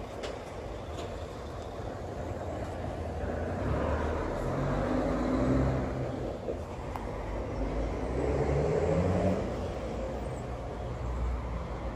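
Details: Continuous outdoor traffic rumble from passing cars and trucks, swelling and fading, with no animal sounds.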